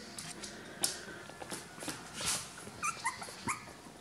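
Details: Three-week-old Miniature Schnauzer puppies at Christmas give brief, high-pitched squeaks and whimpers near the end, over rustling, clicks and soft indoor background noise.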